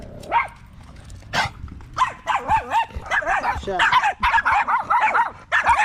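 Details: Male Staffordshire Bull Terriers gathered at a park in the evening give short, bouncy barks with a wavering pitch, about one and a half per second. A brief sharp noise comes early on.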